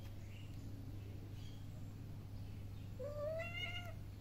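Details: Playing kitten lets out a single soft, slightly rising meow near the end, after several seconds of quiet room tone with a steady low hum and faint rustling.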